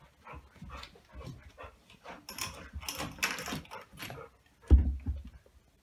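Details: Golden retriever puppy, 9 weeks old, playing keepaway with an older golden retriever over a chew toy; soft whimpers and panting in short bursts, then a sharp thump near the end.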